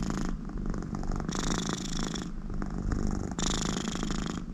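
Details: A contented American Shorthair cat beside her owner, purring deeply while snore-like breaths from her nose rise and fall about every two seconds over the steady rumble.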